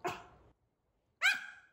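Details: Pomeranian barking at its owner wearing a dog mask, indoors: a short harsh yap, silence, then a sharper high bark with clear harmonics, ending abruptly.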